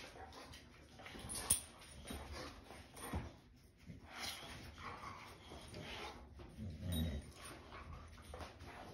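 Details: White Boxer dog whimpering because he dislikes his new bone-shaped ID tag, indoors; soft, low whines and brief yips come in short bursts amid quiet shuffling, with a woman speaking gently nearby.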